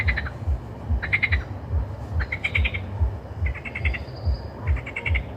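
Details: Croaking frogs in a chorus: short bursts of rapid rattling pulses repeat about once a second over a dense bed of deep throbbing croaks, with one faint whistled note near the end.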